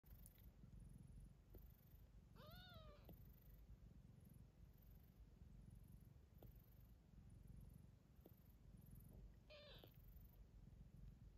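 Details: Ocicat kittens born November 14th 2021 purring softly: a steady low rumbling hum runs throughout. Two short rising-and-falling meows break in, one near the start and one near the end, over a faint high hiss.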